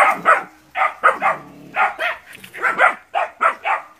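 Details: Nine puppies confront a large water buffalo during training before going into the field, Porbi Sumbar, Indonesia: a rapid run of sharp, mid-pitched barks from several young dogs, overlapping in bursts with brief pauses.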